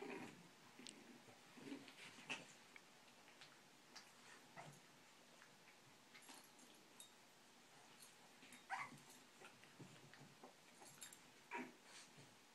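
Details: Boston Terrier pups, four of them, play with and bite their older brother indoors; brief scattered yips and soft whimpers come between scuffling and rustling. A slightly louder squeal sounds near the end.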